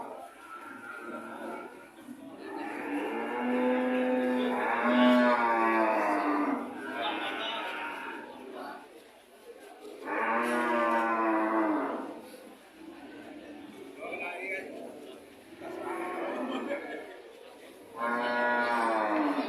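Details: Cows mooing repeatedly: about five loud, harmonic moos of varying pitch and length, each lasting one to three seconds, separated by short pauses.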